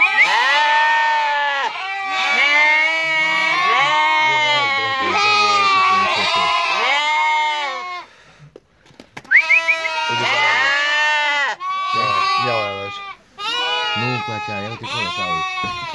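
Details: Several Turcana lambs, offered for sale near Easter, keep up a chorus of loud, quavering bleats, each a second or so long and overlapping, broken by a brief quiet pause midway.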